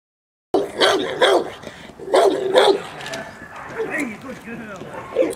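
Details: Presa Canario female J7's Kelly, Irema Curto line, during protection training at De la Arena field in Germany: a burst of loud, harsh barks in quick pairs, then quieter growly sounds with human voices behind.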